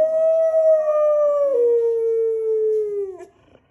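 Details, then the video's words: An English Springer Spaniel, which sometimes howls when an ambulance comes near the home, gives one long, smooth howl that slides slowly downward before fading out, like an ambulance siren. "English Springer Spaniel Howls Like Ambulance!"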